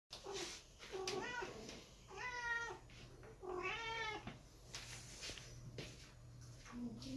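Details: A big silver British Shorthair cat, one of a family, meows repeatedly with clear, drawn-out, rising-then-falling wails rich in harmonics, over a low steady hum with a few clicks and soft knocks.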